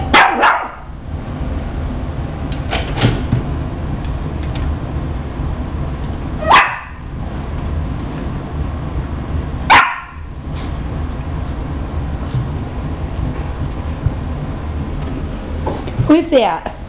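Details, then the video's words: Lulu, a female Boston Terrier puppy, barks at her image in the mirror: single short, sharp barks spaced several seconds apart, about five in all, over constant low background hum indoors. "Boston Terrier puppy barks at her image in the mirror"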